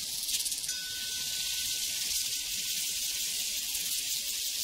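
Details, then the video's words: Crickets on a prairie, a dense shrill chorus of rapid pulsing chirps filling the high register without pause, with a faint sustained cowbell tone ringing beneath from early on. "Sounds from a Prairie Crickets and Cowbells"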